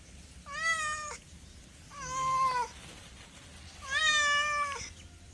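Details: Three cat meows about every one and a half seconds, each drawn out and fairly level in pitch, the middle one slightly lower and ending with a downward slide.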